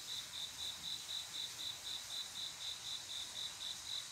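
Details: Male cricket's mating call on a still summer night: high, clear chirps beating steadily at about four per second, with a soft hiss higher up.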